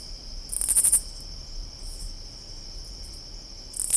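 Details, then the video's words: A katydid in summer gives a short burst of very high, rasping pulses over a steady high insect drone. "Katydid Sounds 🦗 What Does a Katydid Sounds Like?"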